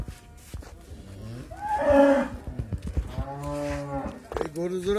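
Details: Dairy cows on a farm in Bangladesh, where cows of several breeds are kept for sale, give two long, low moos: the first swells and rises before fading, and the second is a steady drawn-out low call. Men talk nearby.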